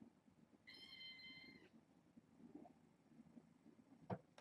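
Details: A kitten from a fostered litter of six, at bedtime indoors, gives one steady, flat, high meow lasting about a second, followed by quiet room noise and a sharp click.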